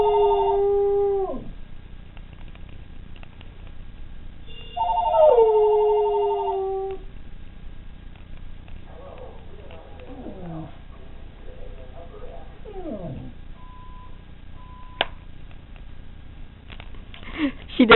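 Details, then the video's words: A pet dog howling when the phone rings, as she does every time: two long sliding howls near the start, each falling in pitch, then quieter whines and soft yelps, with a click and a short tone later. "THE PHONE CALL HOWL"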